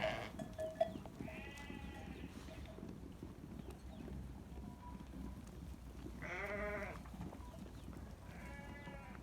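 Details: Sheep bleating on a farm: three separate harmonic, tremulous bleats spaced several seconds apart, the middle one loudest and longest, over a continuous low rumble.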